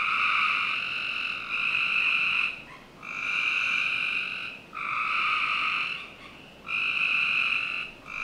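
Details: Backyard frogs on a Northern Virginia summer night give long, buzzy trills of about two seconds each, separated by short quiet breaks, with a soft constant background noise.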